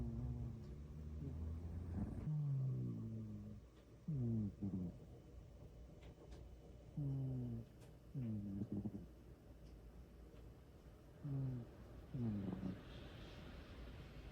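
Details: Domestic cat asleep and snoring, short low buzzy breaths with a rough edge coming in pairs every few seconds after an opening stretch of dull rumbling background.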